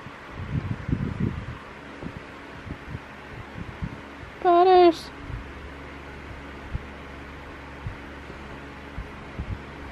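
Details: Butters the cat on a pillow in the morning gives one loud, wavering meow about half a second long midway through, after soft human murmuring, with a steady fan-like hum underneath.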